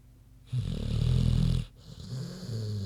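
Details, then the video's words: Queenie, a big pig, snores in her sleep: a loud, low, rasping inhaled snore lasting about a second, then a softer, steady rumbling breath. "Big Pig Snoozin' (HD Queenie Snoring Audio)"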